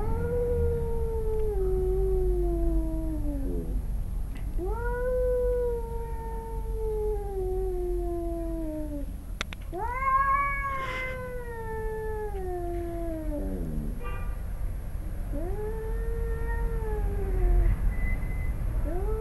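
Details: In a yard in Arequipa, Peru, a male cat and his son growl before fighting; long continuous wailing yowls slide down and swoop back up, rising in pitch and intensity midway, then dropping into a low moan.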